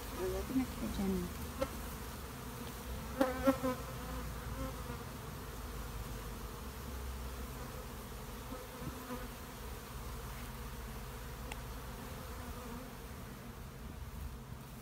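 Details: Steady drone of honey bees inside a shed, a dense, low buzzing hum holding level, with a few brief louder buzzes and clicks near the start and around three seconds.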